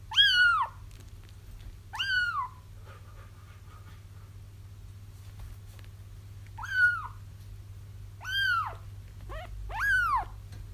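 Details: Kitten cries meant to attract a feral mom cat to a trap: six falling, harmonic mews, the last three in a quicker run, over a noticeably louder low-pitched hum.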